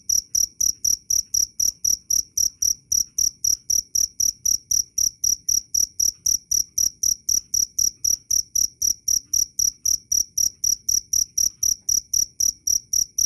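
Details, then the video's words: Loud, clear cricket chirping, a shrill high-pitched note repeated in steady short pulses of about four per second without a break, on a quiet background. "Suara asli jangkrik Keras dan jernih"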